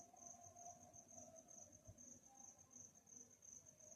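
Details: A cricket chirps in quiet night ambience, giving a thin, high, evenly pulsed trill that never stops, backed by faint soft lower tones and a low hum.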